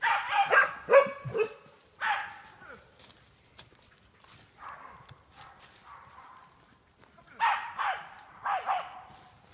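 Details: Jagdterrier at wild boar training in an enclosure, giving harsh barks and yelps in clusters, quieter whining barks in the middle, then two loud barks near the end; a man's voice heard faintly.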